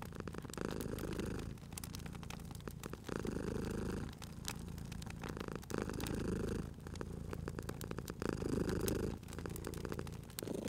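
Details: Domestic cat sleeping at a crackling fireplace, purring in a cozy spring ambience. Long low rumbling purr phrases last about a second and a half, separated by brief pauses for breath, with frequent crisp fire crackles layered on top.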